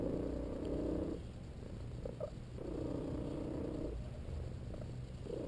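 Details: Napping cat LoneWolf purrs during a massage, a steady low rumble broken by two long whistling squeaks, each about a second and a half, with a brief faint squeak between them.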